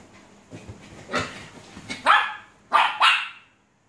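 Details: Playful barking from Luna, a six-month-old Alaskan Malamute puppy: after soft rustling, three loud, rough barks come in quick succession, the last two close together, then the sound cuts off.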